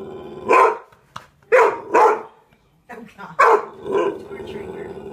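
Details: Pet dog barking back at a dog barking on television: five loud, sharp barks at uneven intervals, two coming in a quick pair, with faint background sounds between them.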